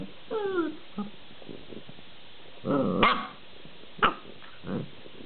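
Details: Playful collie-husky cross growling in the afternoon during a burst of excitement. It opens with a rising-falling whine, then a harsh rumbling growl climbs into a sharp yelp, followed by a short bark and softer grumbles.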